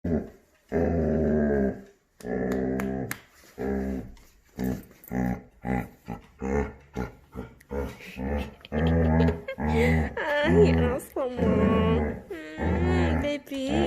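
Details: Male Labrador Retriever puppy indoors, making his unusual cow-like morning noise on waking: deep, drawn-out harmonic moans and groans in a long series of separate bursts, some rising into higher, wavering whine-like tones toward the end.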